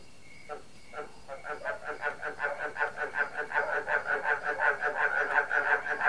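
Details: A frog chorus, with a barking cricket ensemble included, of rapid, rhythmic croaks building into a dense pulsing mass of calls.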